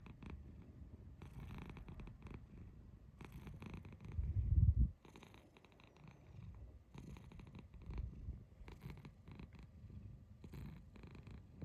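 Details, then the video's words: Domestic cat giving a kururu trill: low, rolling purr-like bursts in short pulses, with one louder rumbling burst near the middle, otherwise soft and quiet indoors. "猫 鳴き声 クルル"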